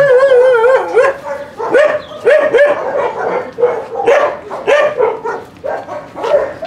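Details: Dog vocalizing at a husky kennel during a visit where Trigger trains recall from free play: loud, wavering, whine-like yowls with strong harmonics, repeated in bursts about every half second to second, rising and bending in pitch.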